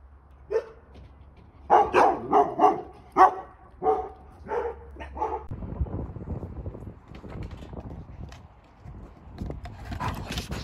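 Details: Shepsky puppies outdoors on a day of thunder and hail, giving a run of short barks and yips over about five seconds, then a steady hiss of falling hail with more faint yips toward the end.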